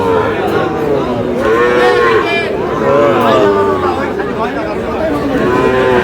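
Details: Sahiwal bull calves traded at the opening of Aftabganj cattle market in Dinajpur, Bangladesh, on 13 June. Several overlapping drawn-out moos, each an arched tone rising then falling, over steady crowd chatter.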